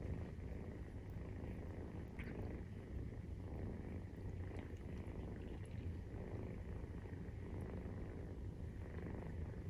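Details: Nursing purr of a 43-day-old Maine Coon kitten: an unbroken deep, throbbing rumble, even in loudness throughout, with a few tiny clicks and rustles on top.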